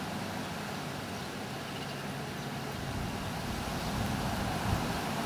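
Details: Steady broadband rushing noise, like distant traffic, slowly growing a little louder, with no animal sounds.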